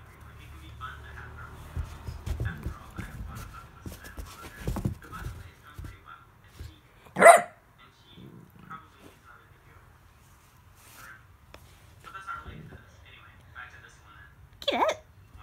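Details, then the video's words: Pet Italian Greyhound in New Zealand fighting a cow hoof stuffed with peanut butter as if it were a deadly foe: low rumbling growls for six seconds, one sharp loud bark, then quieter sounds, a final bark and a woman talking. "Nimbus vs cow hoof"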